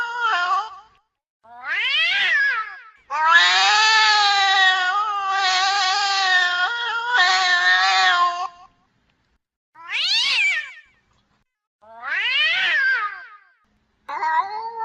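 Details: Female domestic cat in heat yowling loudly for a mate: long wavering cries between shorter rising-and-falling meows; finding: cat.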